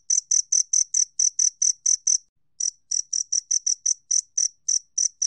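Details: A two-spotted cricket calls with crisp, ringing chirps in quick succession. The chirps break briefly for a moment midway, then resume at the same high pitch and pace. No other sounds are present.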